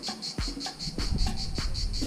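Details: During summer holidays near Cahors in the Midi-Pyrénées, cicadas sing a steady, high, pulsing buzz that throbs several times each second.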